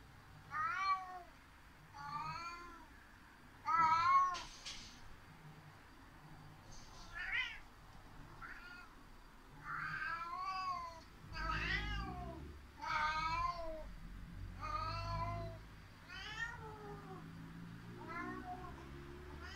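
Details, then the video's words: Indoor cat Seven complaining with loud meows after housemate cat Eight escaped up the climbing tower; repeated wavering, bending meows roughly every one to two seconds, several louder bursts, faint low background hum. "大鳴き セブン"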